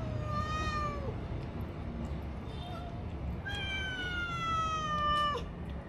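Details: Long plaintive meows from stray kittens facing little food, captured with a DJI Osmo Action: one extended level-then-falling cry, a pause, then an even longer wailing meow ending in a sharp drop, with low background rumble.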